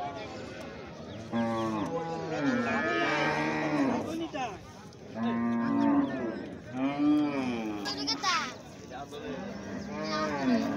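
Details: Calf mooing repeatedly: about five nasal, wavering moos spaced one to two seconds apart, some rising then falling in pitch, with brief gaps of background noise between calls.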